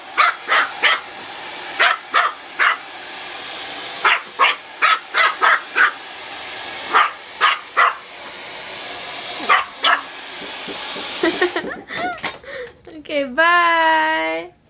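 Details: Frightened puppy Leah barks repeatedly at a hair dryer indoors, sharp barks in quick bursts of two or three over a steady airy hiss; after the dryer stops, a long wavering high whine rises and falls.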